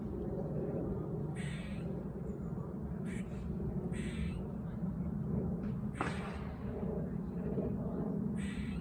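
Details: Autumn park squirrel giving loud, odd calls: short, scratchy, noisy bursts spaced a second or so apart, with a constant low outdoor rumble beneath.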